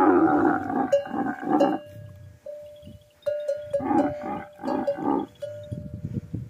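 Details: Camels at a camel meeting in the Thar desert give deep, rough, pulsing roars in several bursts, some separated by short pauses. A steady high tone runs underneath.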